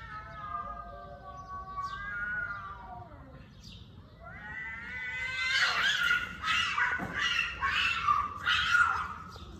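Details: Cat giving long, drawn-out, wavering meows that slide gently downward over the first four seconds, then louder, harsher rising yowls repeated roughly once a second.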